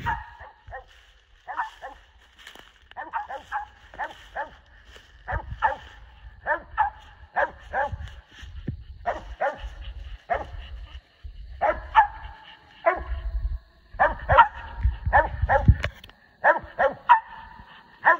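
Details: Along the Tensaw River, squirrel hunting dogs SonnyBoy and Kodak bark steadily and insistently, each short, resonant bark following closely on the last for many seconds, with faint low rumbling behind.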